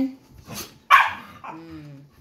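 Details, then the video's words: Pet dog barking loudly while playing with another dog: one sharp, harsh bark after a soft rustle, followed by a short, lower whine-like note. A woman speaks Tagalog nearby. "lakas ng boses ni Tucker | Playing dog"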